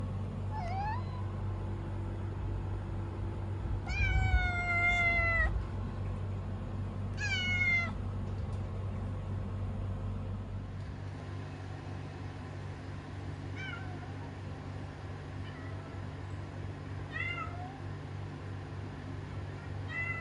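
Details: A kitten named Kuro meows in a run of high, harmonic cries: a quick burst early on, two louder drawn-out meows near four and seven seconds, then softer short mews later, over a steady low hum.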